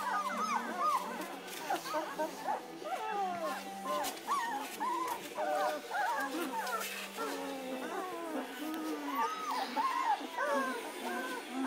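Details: Two-week-old German Shepherd puppies, eyes just opening, whining together: many short curved squeaks and wavering whimpers from several pups, with a low steady hum and some background talk underneath.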